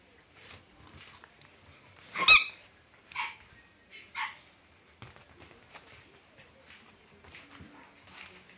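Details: Pied male French Bulldog puppy, born 14 April 2012, offered from a kennel: one sharp, high, strident bark, then two shorter, softer yelps about a second apart, followed by faint scattered rustles and small clicks in a quiet room.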